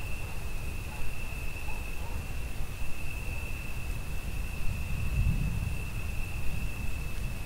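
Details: Crickets heard alongside rain and thunder, producing a steady, unbroken high-pitched trill that holds one even pitch throughout. Rain hisses beneath it, and a low rumble swells near the fifth second.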